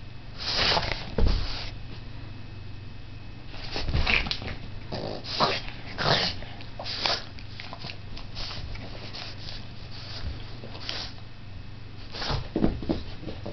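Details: Boston Terrier named Dude snorting while playing with his many toys indoors; short broadband snorts and huffs in bursts, with louder clusters near the start, middle and end, and quieter rustling between.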